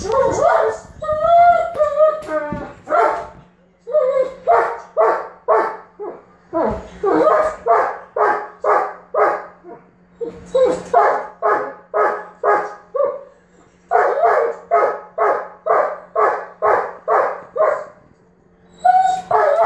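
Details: German Shepherd throwing a tantrum because his ball is stuck under the bed. A few whiny, yelping notes come first, then long runs of sharp, even barks about two per second, broken by brief pauses.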